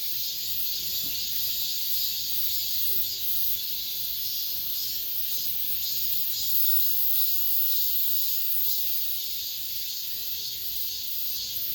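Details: Cicadas in an apartment complex as summer ends, producing an unbroken piercing buzz that wavers slightly in loudness throughout.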